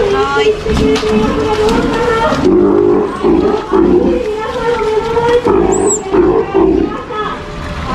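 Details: Captive female Steller sea lion pup, nearly one year old, at an aquarium in Ise, Japan, during no-biting training as staff touch her: a sustained, tonal, rich-overtoned bawl with throaty pulsed bursts midway, alongside human speech.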